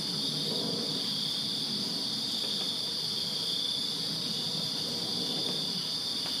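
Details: Many crickets trill together in a Virginia backyard on a summer night, a dense, even, high-pitched ringing that never pauses, with a faint low hum underneath.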